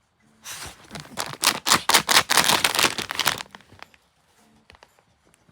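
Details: Rapid bursts of crinkling and tearing, like a snack wrapper being handled for about three seconds, then near silence with a few soft clicks.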